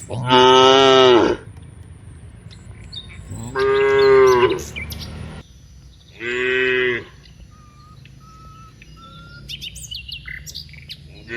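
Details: Dozens of cows on their way from the rice fields to the village give three separate loud moos, each about a second long and a few seconds apart, with scattered bird chirps between.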